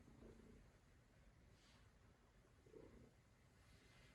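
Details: Norwegian Forest Cat, likely Luna, kneading on its owner's lap indoors, giving a quiet, steady low rumbling purr throughout, with soft brief higher murmurs near the start and again just before the three-second mark.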